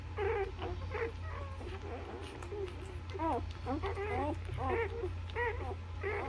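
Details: Several newborn Labrador puppies suckle at their mother's nipples, chirping thin rising-and-falling squeals in quick overlapping bursts, roughly one or two each second, over a constant low droning background.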